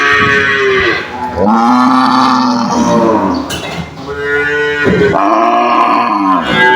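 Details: Several cattle in an enclosure trading loud, drawn-out moos, each bellow rising then sliding down in pitch, calls running almost back to back.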